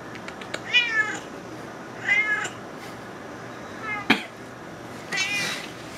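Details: Smelling salmon, Juniper the house cat begs for food with four clear meows spaced about a second apart, each bright and wavering, bending up then down, over quiet indoor background noise.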